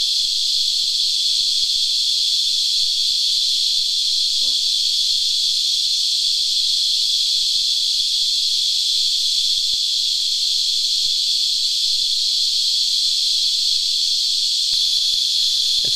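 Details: Cicadas, locally called Christmas beetles, feed on tree sap and sing in a steady, high-pitched rasping buzz that holds unbroken throughout.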